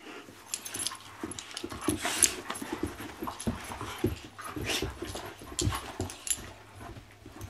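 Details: Puppies Macky and Remy at play inside a small room, giving short whimpers, snuffles and panting breaths in rapid uneven bursts, mixed with scrabbling and bumping noises.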